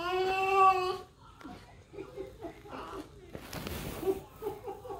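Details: Pet French bulldog crying while stuck in his cage, opening with a drawn-out tonal whine rich in harmonics, like a revving engine, followed by softer whimpers and a person talking.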